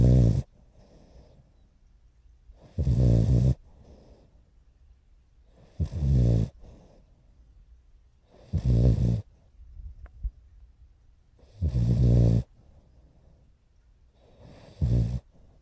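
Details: Morio, a French Bulldog puppy nearly four months old, snores unusually heavily for a pup while asleep. Loud, rough, rasping snores come roughly every three seconds, five in all, with quiet breathing between them.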